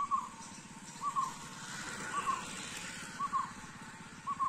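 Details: Shekaru, the Indian giant squirrel, calling in forest at Triveni Point, Panchgani Mahabaleshwar, Western Ghats, Maharashtra, India. Five brief paired notes repeat roughly once per second against a constant low droning background.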